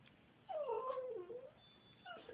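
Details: Pet dog vocalizing in a sing-song way, asking to go potty: a wavering whine-howl dipping then rising over about a second, followed by a short second whine, with a person talking to him.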